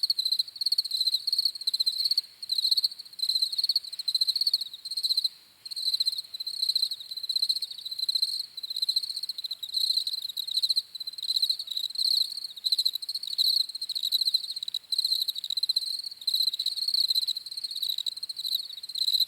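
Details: Steady cricket chorus of high, pulsed chirps going on almost without break, a short dip near five seconds, then dense overlapping trills to the end.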